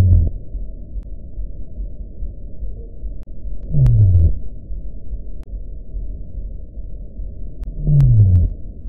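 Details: Underwater hydrophone recording of a Sei whale singing: short, deep moans that sweep downward, repeating about every four seconds against a constant low background rumble.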